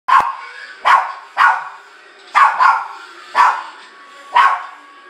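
A Shih Tzu gives sharp, mid-pitched barks, roughly one each second, some in quick pairs.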